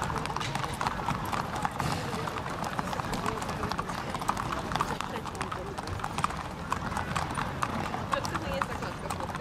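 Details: Galloping racehorses in a horse race held 31 May 2015. Dense, rapid drumming of hooves runs throughout under continuous race commentary and crowd noise.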